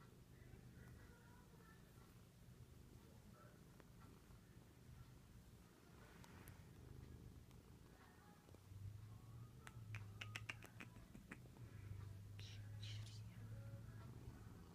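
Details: Binks, a male cat, purrs passionately on his owner's return from a week-long trip, as he always does; a low rhythmic rumble swells louder in the second half, with a few clicks and rustles.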